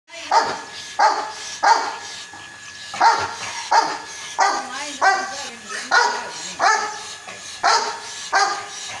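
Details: Rottweiler or French Mastiff barking: a series of deep, sharp barks repeated about every half to one second, some with a whining, wavering tail.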